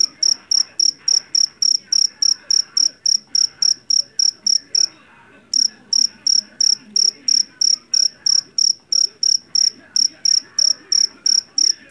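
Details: Field cricket of the jangkrik jeliteng kind, caught in a rice field, repeats loud, high, ringing chirps at a quick steady pace. It pauses briefly near the middle, then resumes. Faint background hum.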